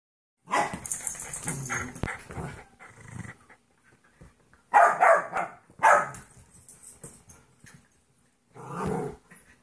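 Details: Two dogs playing: Trouble, a 14-week-old golden retriever mix puppy, and Monkey, a 2.5-year-old jack russell/rat terrier mix. There are scattered bursts of rough growling and yapping with quiet gaps between them.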